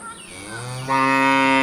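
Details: Cattle eating, with one cow giving a loud, brief moo that starts low and jumps into a strong, harmonically rich bellow cut off after under two seconds.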